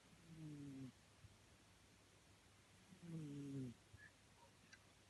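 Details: A domestic cat snoring: two slow, low, rasping breaths with faint harmonic bands, each lasting under a second and about three seconds apart, against a quiet indoor background with a few soft clicks.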